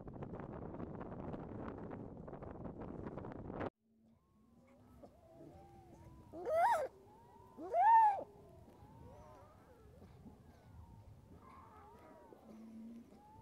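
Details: A harp seal pup struggling in a snowstorm gives two wailing, cat-like cries that rise and fall, after a burst of wind noise.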